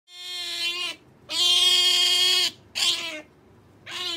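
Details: Pet otter Sakura, female, calling for jerky: four drawn-out, strongly harmonic squeals, each about a second long, separated by short pauses in a quiet room.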